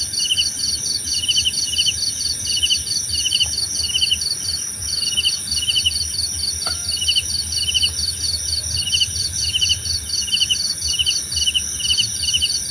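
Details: Crickets calling for a relaxing nature recording: rapid high-pitched pulse train and regularly spaced chirps about twice per second, continuous throughout, with a couple of faint brief clicks in the background.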